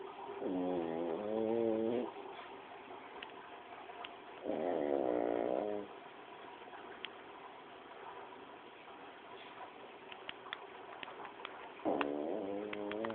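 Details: Pug snoring: loud buzzy, rasping snores about a second long, three in thirteen seconds, with quiet hissy breathing between them.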